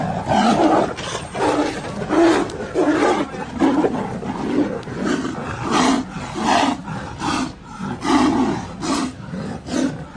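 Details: Two Royal Bengal tigers (Panthera tigris tigris) fight, trading harsh, rasping growls and snarling roars in rapid, uneven bursts: aggression during a fight.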